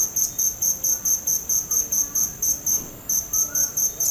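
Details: A single cricket's shrill pulsed chirping, regular beats of about four to five per second, with a short pause near the three-second mark before the rhythm resumes.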